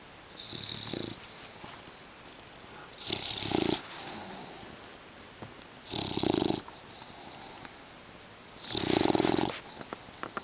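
An English Bulldog snores steadily, each breath a rough, rattling rasp lasting under a second. The snores come about every three seconds, with quiet breathing between them.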